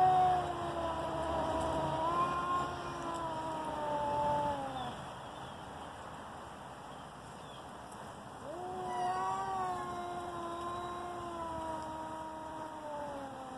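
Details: Two cats on the verge of a fight: a quieter, more distant-sounding falling yowl, a long lull of faint background hiss, then another wavering howl that gradually descends.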